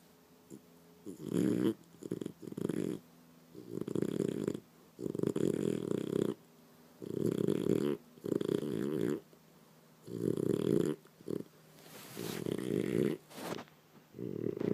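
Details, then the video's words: A sleeping French Bulldog indoors in the morning, snoring in short rasping low bursts of about a second, repeated in quick succession with brief pauses; a sharper hissy noise near the end. "Sleeping snoring French bulldog"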